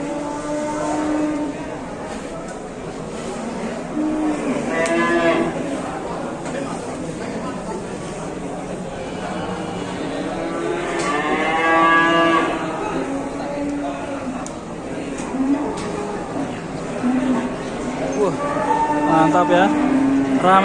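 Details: Cattle unloading at a busy Indonesian livestock market watched by a crowd; repeated long, harmonic-rich moos around 5, 12 and 19 seconds, with men talking, crowd chatter and occasional sharp knocks throughout.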